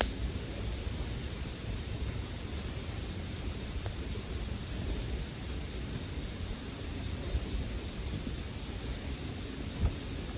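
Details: Bell crickets keep up a sustained high ringing drone, with occasional light pops of burning firewood and soft low rumble underneath.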